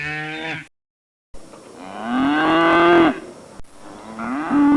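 A cow gives drawn-out, rising moos, each swelling in pitch and loudness before ending abruptly.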